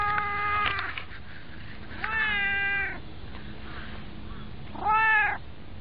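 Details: White cat riding on someone's knees, meowing three times about every two seconds; full, tonal cries, the last one louder and arched, rising then falling.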